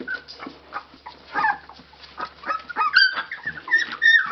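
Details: Nineteen-day-old Labrador Retriever puppies in Belgium, eyes recently open, making noise: soft scattered whimpers and squeaks from several pups, with a few brief, higher squeals clustering toward the end.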